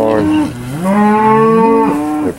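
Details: Steer lowing at an evening cattle auction, 8 August 2013: a short moo, a brief dip, then a long, loud, steady bellow that holds its pitch before cutting off.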